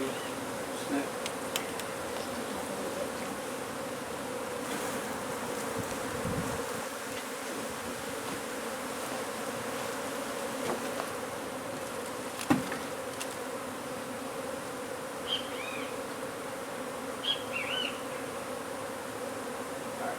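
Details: Honey bees at a hive being removed from under a wood pile in McAllen, Texas: a long, steady, dense buzz, occasional handling knocks, and a few faint bird chirps near the end.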